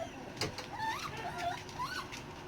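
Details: Six-week-old Dachshund puppies, newly moved into a bigger pen and nearly weaned, cry while a feisty littermate picks on them: thin whimpers that rise and fall in pitch, several in a row, with light rustling behind.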